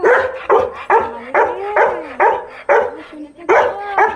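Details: Labrador Retriever greeting someone arriving home, giving loud excited yelps and whines repeated about twice a second, with sliding pitch between bursts, while a woman talks to it.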